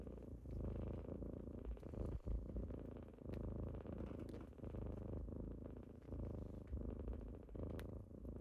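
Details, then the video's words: Steady low purr from kittens waking someone in the morning, throbbing in regular breath-paced waves with only brief dips, accompanied by a few soft clicks and faint movement sounds. "Morning with kittens^^"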